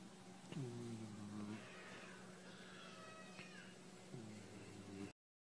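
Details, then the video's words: George, a white boxer puppy, snoring quietly: two drawn-out, low droning breaths with a humming, slightly whining tone, each lasting about a second and roughly three and a half seconds apart, over a soft steady background hiss. "George the snoring white boxer puppy"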